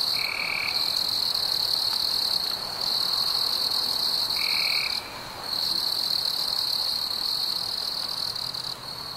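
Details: Crickets on a warm summer night give a continuous high, shrill trill that breaks off briefly twice. Short, lower, steady tonal bursts appear near the start and middle, possibly from another caller.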